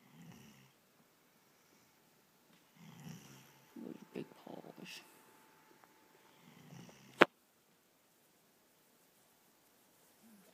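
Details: Kobe, a pet dog asleep on the couch, gives soft low snoring breaths at the start and again later, overlapped by a person's quiet voice and a sharp knock; the snores are rhythmic raspy exhalations.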